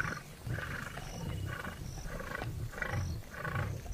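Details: Lions of the largest pride on the west bank of the Luangwa River in Zambia, in the morning: a series of deep grunting bursts repeated roughly every half second, with a broader rasping tone over them.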